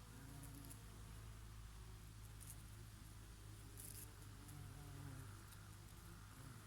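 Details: A steady low drone of bees working oregano flowers in summer, several overlapping hums holding nearly level pitch throughout, with a gentle breeze beneath.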